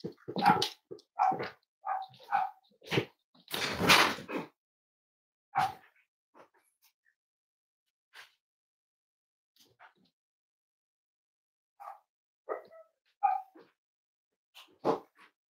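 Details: Five-week-old Cavalier King Charles Spaniel puppies from Myra and Remy's litter, indoors on a chilly Thursday morning: a burst of short, high yipping barks, then scattered single yips with quiet gaps.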